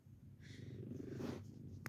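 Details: A 15-year-old senior female cat named Bella purrs steadily indoors while being checked for hearing loss. The deep, even rumble rises in one long breath-driven swell, and a brief click sounds near the end.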